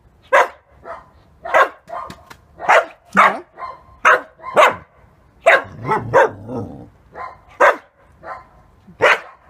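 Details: Halo, a 7.5-month-old male Samoyed in puberty, barking to get someone to play with him; a series of loud, sharp barks roughly every half second to second, some doubled, with brief pauses between bursts.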